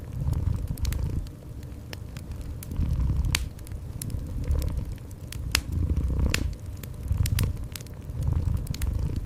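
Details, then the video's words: Gentle low purr from a cat, rising and falling in rhythmic breathing pulses, accompanied by intermittent crackles and snaps of a fireplace indoors. "Gentle Cat Purring"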